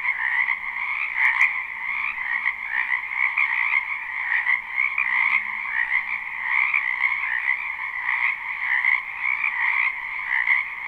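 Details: Live spring recording of numerous wild frogs calling from a wetland near a house: relentless high trilling calls blend into one thick chorus, individual bursts standing out briefly, with a faint low hum and one brief click.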